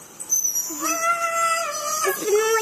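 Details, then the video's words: A male husky, normally very quiet, gives a drawn-out, wavering howl-talk, steady in pitch and rich in overtones, in reply to his favourite YouTube video of other huskies howling. "Our Husky (Benelli) Talking Howling To His Favorite YouTube Video"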